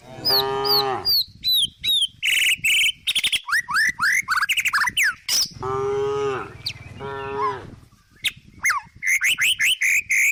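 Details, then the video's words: Countryside cow, tame and resting while it eats grass, lets out a low moo, then two more deep, wavering moos after a stretch of busy bird chirping; quick repeated bird tweets continue around and after the calls. "The sound of a cute, tame cow resting in the countryside, cow moo, cow eating grass!!"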